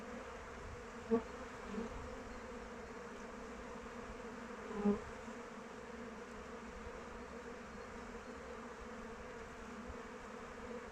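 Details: Many honey bees in flight around their hive in open weather, a continuous droning hum with layered tones, two louder buzzes of single bees passing close by at about one and five seconds.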